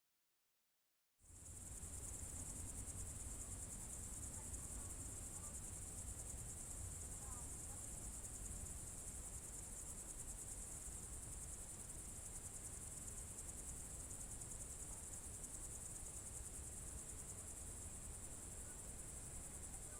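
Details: Crickets on a June 2023 evening in the Novye Buregi tract, Novgorod Oblast: after a second of silence, a steady, unbroken high shrill trill starts and holds level throughout, over a soft low rumble.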